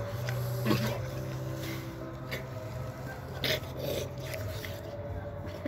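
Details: A wild boar eats an apple, making loud, irregular crunches and sharp, wet smacking chews over a low, steady droning hum.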